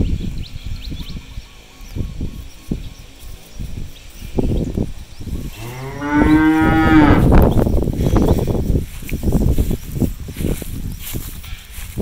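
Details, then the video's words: Cattle wandering a harvested rice field in search of grass to eat; amid scattered low thumps and grazing noises, one long, rich moo rises in the middle, sustained about a second and a half before fading into rustling. "cows looking for food on the farm field, cows sounds"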